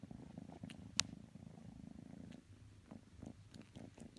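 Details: Low rumbling purr from kitten Matsumoto cuddling Tanka the pit bull, one sharp click early on and the purr softening in the second half.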